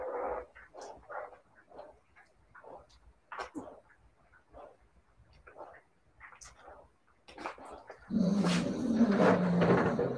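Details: Siberian Husky puppies give soft, scattered yips and little whimpers for about eight seconds before a loud burst of rough, broadband noise drowns them out.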